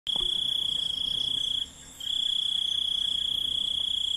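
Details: Crickets chirping as night ambience in an Indian village: a steady, high, ringing trill that runs unbroken, pauses briefly after about a second and a half, then resumes, with a faint higher hiss of other insects behind it.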